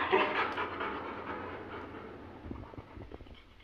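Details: Labrador Retriever Goku, a playful household dog, during a goodbye; quick breathy panting about two and a half times a second, strongest at the start and fading gradually, faint low rumble beneath.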